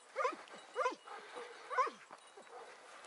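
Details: Yelping hound cry during pursuit of a hare on a morning hunt, 6 October 2018. Three sharp, downward-sliding yelps arrive roughly half a second apart, then softer answering cries fade out amid outdoor hiss.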